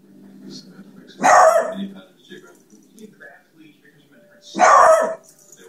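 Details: A pet dog barks twice, each bark a loud harsh burst about three seconds apart, with quiet background noise between.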